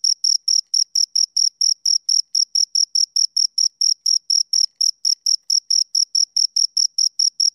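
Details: Crickets, two of them, stridulating in evenly spaced high, ringing chirps, several per second, clean and uninterrupted with silence between pulses.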